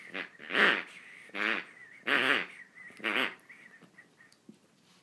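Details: Schnauzer playing with a toy: four loud squeaky bursts about a second apart with a steady tone near the top, then fainter short squeaks trailing off.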